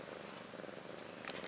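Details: Quiet rhythmic purring from Ashley, a young domestic cat roughly one year old, nursing two female kittens, Maggie and Rose, delivered March 30th 2013; continuous fine-grained throbbing with no other clear sounds.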